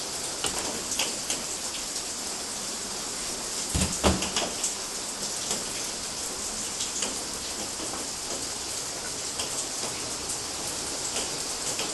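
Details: Heavy rain patters and hisses without pause in Galati, Romania, in June 2012, with a brief thudding knock around four seconds and no animal calls.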